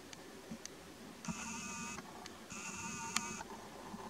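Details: Mother lynx with two kittens calls out to a lagging kitten, filmed on a Nikon P900: two drawn-out, nasal, bleating tones of under a second each, separated by a short pause, over a low rustling background.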